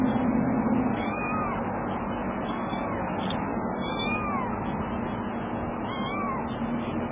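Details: Cat heard as a mother cat rescues her kitten; about three thin, arching mews rising then falling spaced a couple of seconds apart, nearly buried under a loud, constant engine-like roar.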